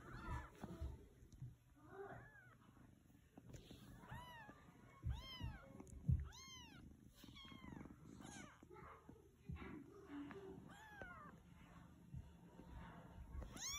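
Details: Newborn Siamese kittens, with a young Siberian kitten resting among them while the mother cat eats. They give thin, high, arching mews in quick overlapping series over a steady low rumble and soft shuffling.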